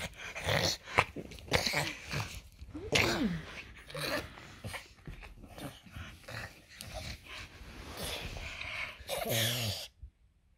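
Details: Loki, a French Bulldog, during his usual morning inside a small room, whimpers and grumbles in wavering rising-and-falling tones between snorts, finishing with a drawn-out whine before going quiet.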